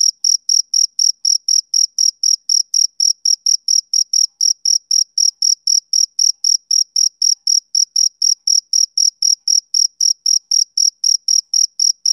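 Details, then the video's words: Rhythmic chirping of a male cricket on a summer evening: short, shrill, high-pitched bursts repeated roughly four times per second without pause, against a silent background. "Cricket Chirping Sound Effect"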